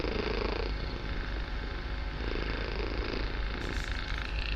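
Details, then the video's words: Barsik, a kitten, purring very loudly indoors: a steady low rumbling drone with soft swelling pulses near the start and middle, continuous throughout with a faint hiss above. "Мурлыканье котенка.Барсик очень громко мурлыкает"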